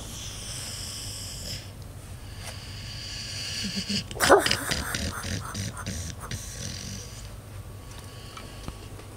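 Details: Five-year-old female Pit Bull asleep and dreaming, snoring and barking in her sleep; one short muffled bark-like burst mid-clip over a low steady breathing rumble, with faint soft noises before and after.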